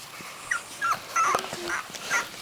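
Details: Three-week-old puppies, eyes newly open, handled indoors as one is taken out; faint high squeaky whimpers and short rising yelps come in scattered bursts over a low background hiss.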